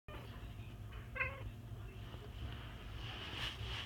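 A cat gives one short, nasal, goat-like bleat aimed at birds, then falls quiet over a steady low indoor hum.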